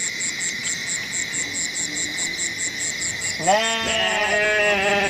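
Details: Goat letting out a single long, shaky bleat in the last second and a half, preceded by faint background sounds, with a regular high-pitched pulsing chirr and a constant thin tone throughout.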